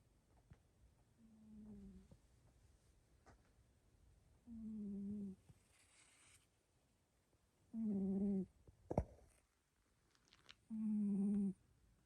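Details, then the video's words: Sleeping cat snoring extremely loud indoors: low, droning tonal snores with stacked overtones, each under a second long, coming roughly every three seconds with quiet breathing between, plus a few faint clicks. "Sleeping Cat Snores Extremely Loud"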